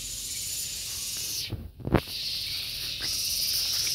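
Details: Gareng pung cicada giving a loud, dense, high-pitched buzzing drone that cuts out briefly near the middle with a soft thump, then resumes steady and even.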